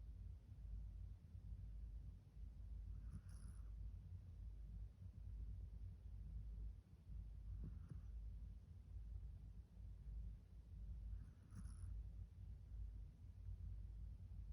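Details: A Pomeranian named Min Saetbyeol snoring softly while asleep, with soft breathy snorts about every four seconds over a steady low indoor rumble.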